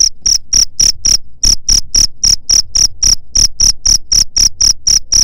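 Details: Cricket chirps for repelling rat pests: sharp high pulses about four per second with one short gap early on, accompanied by a low thumping background.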